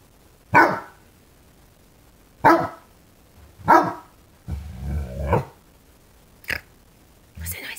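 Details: Obadiah, a five-month-old fawnaquin Great Dane puppy, barking at a new candlestick in a window he dislikes: three deep, loud single barks about 1.5 seconds apart, then a rumbling growl-like sound and two shorter sharp barks.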